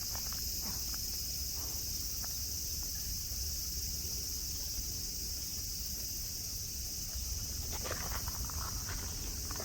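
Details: High, steady cicada buzz at Nara Park, Japan, with deer nearby on green grass; a constant shrill drone runs throughout, while soft footstep-like crunches and rustling come in near the end.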